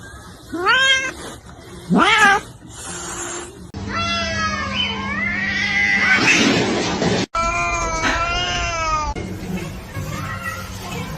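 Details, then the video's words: A kitten meowing indoors: two short rising meows, then a long wavering, drawn-out meow with rich harmonics, followed by another stretched meow that fades into a faint steady hum. "kitten meowing"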